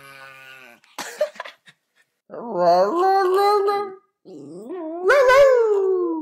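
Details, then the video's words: Domestic dog 'talking' indoors: drawn-out whining yowls that rise and waver in pitch, in two long bursts after a few short clicks and scuffs, with a short pause between them. "Have you ever seen a talking dog-"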